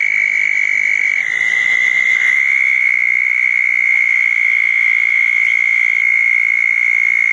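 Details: Several southern toads gathered at small garden ponds after a June 2014 thunderstorm at night; a long buzzing trill runs without pause, its pitch stepping slightly near two seconds as another toad's trill overlaps.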